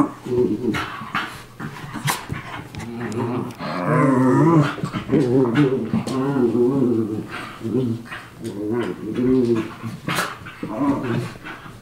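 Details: Two miniature schnauzer brothers play-fighting indoors, a daily habit: continuous throaty growls and snarls with harmonic, wavering tones, rising into longer rolling growl bouts from about four seconds, broken by short yips and snaps.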